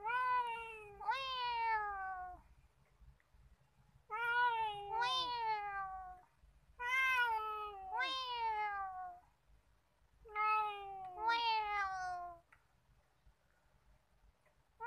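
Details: At Nigeen Lake in Srinagar, Kashmir, a talkative free-roaming male cat calls in paired meows, a short one followed by a longer falling one, repeated in four bursts over about fifteen seconds.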